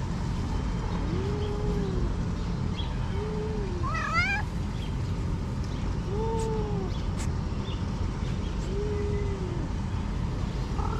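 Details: Six hungry cats gathered in a garden in Morocco meow repeatedly: five arched, moderate-pitched mews about every two seconds, plus one higher rising cry near the middle, all against constant low rumble.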